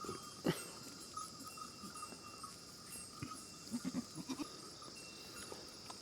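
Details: Farmed goats bleating: one short, sharp bleat near the start, then a quick run of three or four brief, low bleats later on. A steady high insect drone and a thin constant tone continue underneath.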